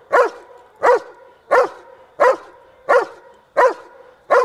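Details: Young male dog, 19 months old, barking in a training blind for a remote ball reward: seven strong, evenly spaced barks roughly 0.7 seconds apart, clean and unaccompanied.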